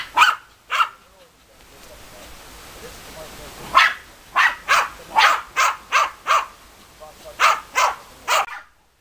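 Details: German Hunting Terriers Bagira and Cox von der Fuchskralle give two barks, then a quieter stretch of low murmuring, then a burst of rapid, evenly spaced barks.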